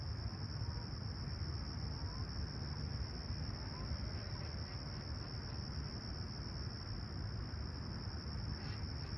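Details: Crickets chirping at a clear, calm summer sunrise in Toronto's Humber Bay Shores on July 28, 2020, around 20ºC; an unbroken high, steady trill holds throughout, over a constant low rumble.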